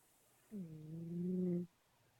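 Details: Pet cat snoring: one low, steady, droning buzz of just over a second that swells slightly before stopping abruptly, in a quiet room.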